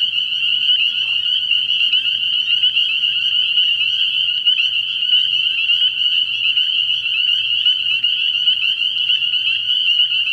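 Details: Night chorus of spring peepers at a frog pond in early spring, many high piping calls merging into a continuous shrill ringing that holds steady throughout, over a soft low background drone.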